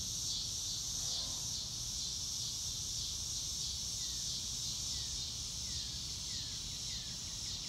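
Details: Outdoor cricket chorus on a clear blue-sky day, a dense high trilling wash that barely changes in loudness, with faint falling bird notes toward the end.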